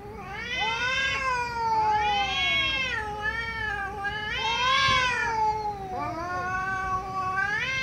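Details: Angry cat caterwauling loudly, a continuous chain of overlapping, wavering yowls that swell and sag in pitch about every one to two seconds without pause.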